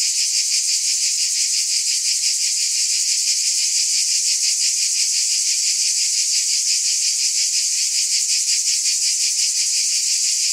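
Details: Loud, even cicada drone, high and hissing, faintly pulsing around three times a second for the whole stretch, alone without birds, wind or people.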